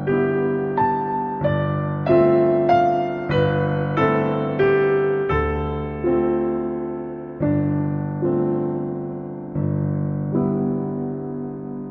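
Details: Only electric piano music is heard, with no animal sound.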